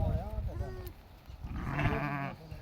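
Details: A farm flock of 66 sheep with 22 lambs: a faint wobbling bleat at the start, then a louder tremulous bleat lasting about half a second, with men speaking Telugu throughout.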